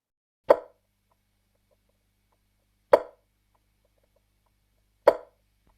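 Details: A Striped Marsh Frog, common around Sydney and Australia's east coast, gives single hollow, percussive clucks, each well apart, like a soft 'tok'.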